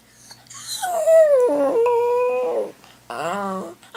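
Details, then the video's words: Indoor pet dog howling while its owner's sister is away: one long tonal wail that dips then holds steady for about two seconds, followed after a pause by a shorter, harmonic-rich whining cry, in a quiet small room. "When my sister is away... - the howling dog"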